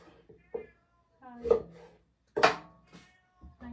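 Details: A house cat called Satchan, eating a carrot and then one dried sardine, gives several short harmonic meows, one louder and longer near the middle, while a person keeps saying soft words nearby indoors.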